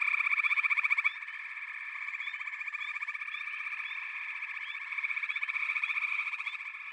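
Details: Frogs chorusing in a backwater, many voices merging into a continuous pulsed drone, loud rattling trill opening the recording before settling into an even, shimmering hum that swells again later.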